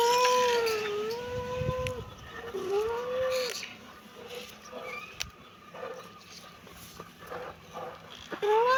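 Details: Kitten meowing: several drawn-out, wavering meows in the first four seconds, then quieter, softer mews with faint background noise and a final rising meow at the end.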